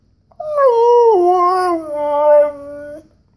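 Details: Siberian Husky pet, eager to go for a walk, lets out a loud, close, drawn-out whining howl of about two and a half seconds, sliding down in steps and ending on a steady low tone.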